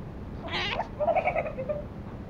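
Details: A young toy Pomeranian puppy in Kathmandu, Nepal, protests being groomed, opening with a short, harsh, breathy huff, then a nasal, slightly quavering whine that tapers off within a second.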